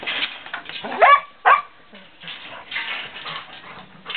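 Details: English Setter puppy letting out two quick tonal yelps, the first sliding upward, followed by quieter whining and rustling.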